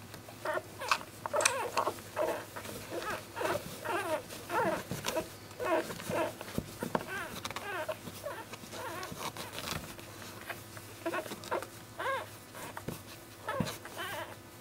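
Week-old basenji puppies squeak and whimper in thin, wavering, overlapping cries.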